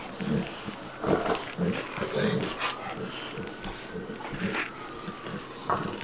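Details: Two dogs at play, Bubba, a two-year-old American Bulldog, and Ruby, a five-month-old Dogue de Bordeaux, breathing in quick, rhythmic puffs roughly twice a second, with a faint steady whistling tone running behind them.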